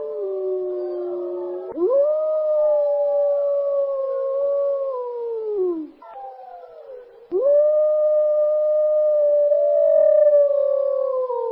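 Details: A gray wolf (Canis lupus) in a forest gives long, steady howls that slide gently downward, broken by brief pauses.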